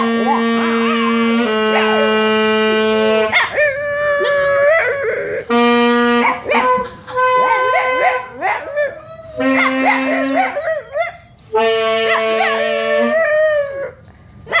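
A Boston Terrier howls in wavering, bending tones alongside steady held saxophone notes.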